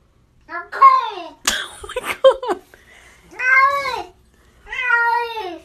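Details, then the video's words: Cat meowing in a small indoor room: three drawn-out, arching meows, each rising then falling, with a person speaking softly and reassuringly between them. "Funny Cat Speaking English"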